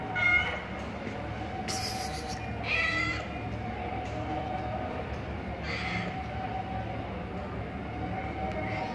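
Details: Sick street cat with pneumonia and heavy lung inflammation, about to be taken to the vet; several short, strained meows with rich overtones spaced a second or two apart over a steady low background hum.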